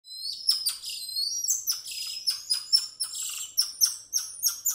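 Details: Golden lion tamarin calling: a steady run of very high, thin whistled chirps, each a quick sharp note sliding down, coming several times a second with brief louder bursts, against a quiet, clean background.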